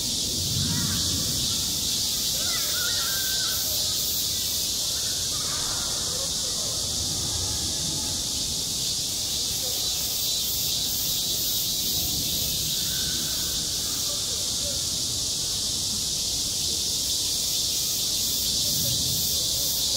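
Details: Cicadas on a school playground in high summer, self-recorded, keep up a dense shrill drone with a subtle regular pulsing at the top, while faint lower calls and distant outdoor sounds come and go.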